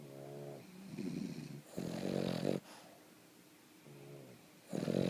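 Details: Boston Terrier, a sleeping pet dog, snoring: harmonic wheezy low snores in drawn-out breaths, each lasting about half a second to a second, separated by quiet pauses, with a louder rasping burst near the end.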